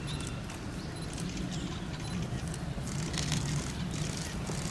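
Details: Giant panda Tantan at Oji Zoo on 19 January 2021, excited by falling snow, standing up and scratching. Low, buzzy, harmonic bleats continue through the clip. Faint crowd noise sits behind them.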